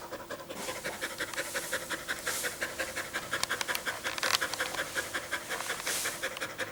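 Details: Dog panting fast after a run in summer heat: rapid, breathy, regular huffs, about three per second, steady throughout with slight swells in loudness.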